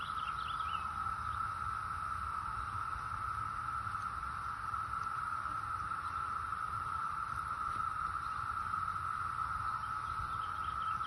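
A cicada holds a steady, shrill, unbroken drone on a single pitch, with faint bird chirps behind it.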